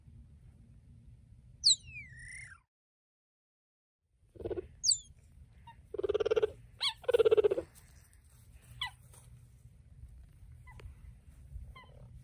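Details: Cheetah named Rosalie with her cub, vocalizing: high, sharply falling bird-like chirps and whistles scattered through the recording, with a pair of louder, buzzy purring bursts near the middle and faint low background hum.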